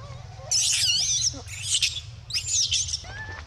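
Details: Screaming of the baby monkey Dito, upset at having no milk while biting Anya: two long, harsh, warbling high shrieks separated by a brief pause, then a thin rising squeak; low hum throughout.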